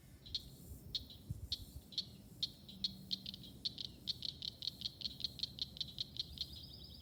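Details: A Southern cricket frog of the southeastern United States, calling at night, gives a series of sharp, high clicks that speed up, like marbles rattled or knocked together.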